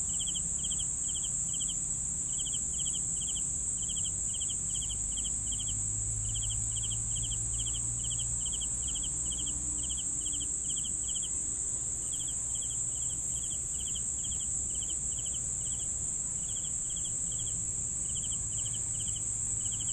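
Crickets chirp in quick, steady pulses over a constant high, shrill insect trill.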